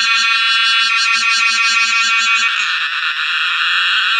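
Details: Cicada singing, called the sound of summer. A loud, high, buzzing drone pulses rapidly for about two and a half seconds, then smooths into a steady, continuous whine.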